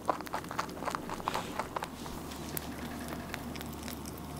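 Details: Rabbit eating its meal, a burst of rapid crunchy bites about four per second that softens after two seconds into quieter nibbling, close and indoors.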